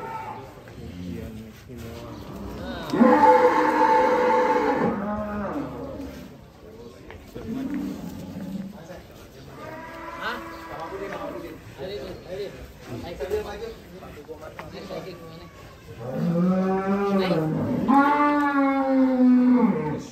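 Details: Belgian Blue cattle at a cattle contest at Bintang Tani Farm in Indonesia, giving long, loud harmonic moos around 3 and 17 seconds, with crowd noise and speech between calls.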